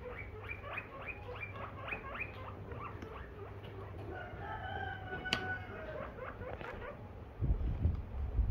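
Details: Guinea pig at home giving a quick run of short, rising squeaky calls, about eight in three seconds, then longer, steadier whistled tones, ending with rustling and handling noise.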